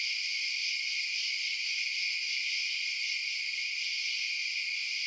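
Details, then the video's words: Night chorus of chirping crickets, an even wall of high trilling that holds steady throughout, with layered bright bands and nothing else audible. "Night Sounds Crickets Chirping"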